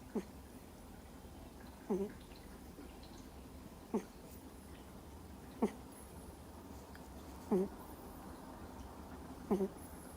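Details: Deeply sleeping Miniature Schnauzer puppy, two months old, snoring in a steady rhythm: brief squeaky, slightly whistling snores roughly every two seconds, with near silence between them.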